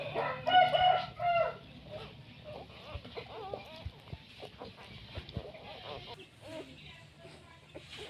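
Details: Newborn puppies from a litter of nine, giving short, wavering, high-pitched whines. A few louder cries come in the first second and a half, then many faint, overlapping squeaks continue over a steady low hum.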